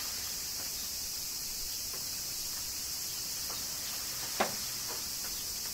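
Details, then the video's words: Summer rain in Kyoto, Japan, with cicadas: an unbroken shrill hiss-like insect chorus at high pitch fills the whole recording, with one brief sharp tap near the end. "Cicadas Summer Rain - Zen Sounds of Kyoto, Japan"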